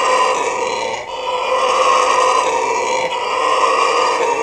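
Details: A red howler monkey at the Trinidad and Tobago Zoo gives a loud, rough, continuous roaring howl with brief breaths between surges.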